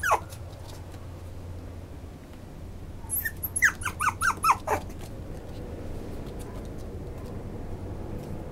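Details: Maltipoo dog giving thin, squeaky whines: one sharp falling squeal at the start, then a quick run of about six high yelping squeaks in the middle, over a steady low background hum.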